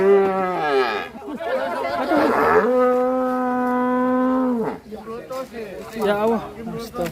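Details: An enraged cow that caused a commotion and fell into a river bellows loudly: a rough, wavering opening call, then a long, steady low moo held for about two seconds, followed by shorter uneven lowing.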